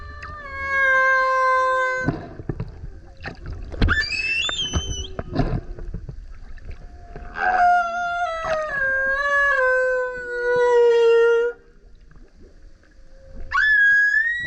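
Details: Singing male humpback whale surfacing near a kayak: high, clear whistled howls with bending pitch, held for a few seconds each, interspersed with short squeaks, knocks and quieter gaps.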